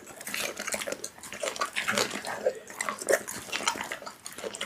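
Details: Raw meat eaten by a pit bull in a small room; dense, continuous smacking and squelching chews follow one another rapidly throughout, loud and close.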